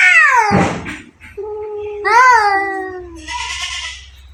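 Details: Two cats fighting: a descending yowl, a sharp spitting burst, a low steady moan that rises briefly, then a breathy hiss to close.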